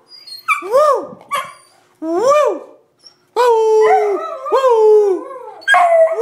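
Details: Two 8-month-old Beagle sisters howl along with their owner in drawn-out, tuneful, wavering howls that swell upward and fall away, some held as long baying notes, in overlapping bursts with short pauses.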